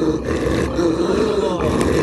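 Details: A Sarabi (Iranian Mastiff), an Iranian flock-guardian dog, gives a deep, continuous rumbling growl. It is a dissuasive warning to an approaching person to keep away.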